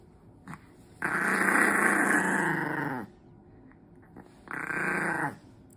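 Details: Lonely smooth coat Chihuahua, born November 2021, pining on a day without its favourite person, gives a long groaning whine of about two seconds, then a shorter one after a quiet pause.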